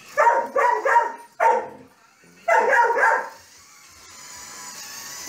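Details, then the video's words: Bowser, an adopted Carolina Dog / Basenji mix, chases Mario across a game screen near Christmas, rattling off quick rough barks, three then one then a drawn-out bark, before the room falls to a steady electronic hiss. "Bowser the Dog Chasing Mario!"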